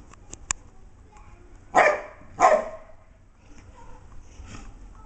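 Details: Arnie and Sam, a Dogue de Bordeaux and a golden retriever, play fighting; a few clicks, then two loud harsh barks about a second apart, followed by quieter scuffling.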